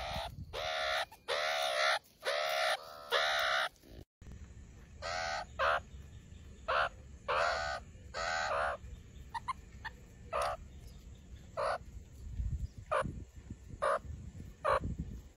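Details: Meerkat (Suricata suricatta), call.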